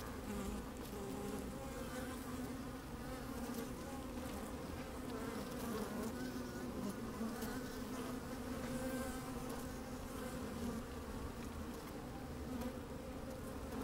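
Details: Steady droning hum of honey bees moving about inside an opened hive on a sunny, slightly windy day, microphone lowered into the colony; dense, even buzzing with layered tones and faint crackles above.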